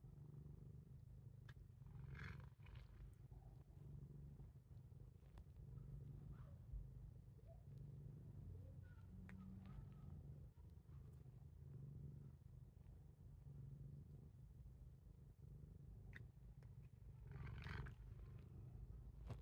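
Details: Titchimo, a pet cat that habitually bites its owner, purrs in a steady low rumble throughout, with a few faint clicks and rustles from handling breaking in now and then.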